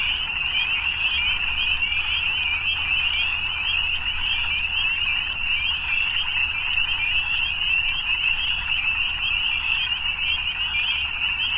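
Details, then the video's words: Steady chorus of evening frogs: many shrill trills fused into an even, ringing wall of sound lasting the full length, with slight flickers in intensity and a quiet low-pitched hum in the background. "Evening Frogs"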